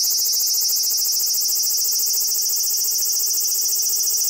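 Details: Steady high sizzling drone with a rapid wavering pulse from a large brown cicada calling while motionless. Loud and continuous, the sound clips and distorts on the compact camera used.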